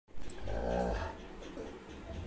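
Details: A Rottweiler gives a deep, rough bark that trails into a low, throaty rumble as a cat escapes from it.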